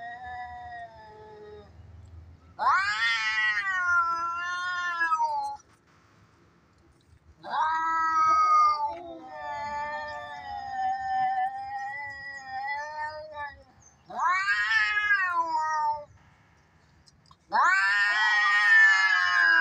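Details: Cats in a fight, a sound for teasing cats: four loud bouts of wavering, rising and falling caterwauls, each two to three seconds long, separated by brief quiet gaps.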